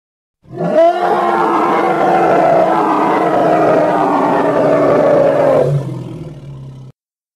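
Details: Hippopotamus, a single loud, harsh sustained bellow of about five seconds with rich stacked harmonics, opening with a brief rising note, then a quieter low rumbling tail before silence.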